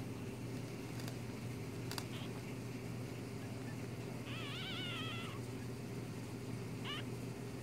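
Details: Newborn one-day-old kit fox babies giving a wavering, trilled whine of about a second, then a brief shorter cry, over a steady low hum.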